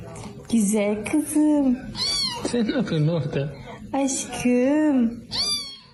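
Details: Domestic cat meowing repeatedly indoors, long wavering and arched meows in quick succession, some rising then falling, with human speech overlapping in the middle.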